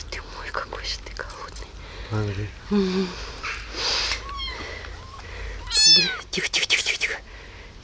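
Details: Rescued abandoned baby kitten, hungry after being left in a box on the street, cries several short high meows among soft soothing human speech and whispering indoors, the loudest a wavering mew near the end.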